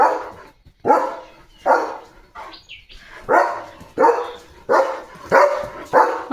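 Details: Leo, a German Shepherd who stands at the house gate day and night protecting the home, barks loudly about seven times, each bark sharp and full-bodied, roughly one every 0.8 seconds with short gaps between.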